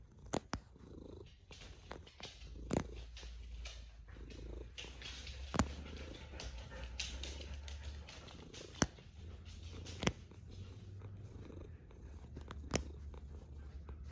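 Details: A single cat snoring, a steady low rumble rising and falling with each breath, a few pauses between breaths, and sharp clicks and taps scattered through.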